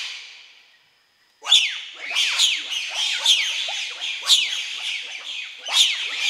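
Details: Wild bonobos followed by trackers of the NGO Mbou-Mon-Tour in the Bateke Nord chiefdom, western Democratic Republic of the Congo; after a second of near silence, loud shrill rising-and-falling shrieks burst out, overlapping and repeating roughly every second.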